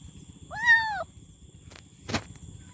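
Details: Single short arched kitten meow lasting half a second, followed by a couple of sharp clicks or knocks, over a low rumbling background.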